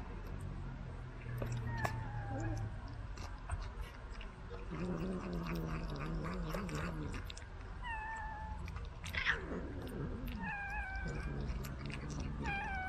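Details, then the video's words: Cats fed treats delivered by a remote-controlled car give repeated short falling meows, several in quick succession, alongside lower drawn-out cries, clicks and a steady low hum. "cat feeding at rc car"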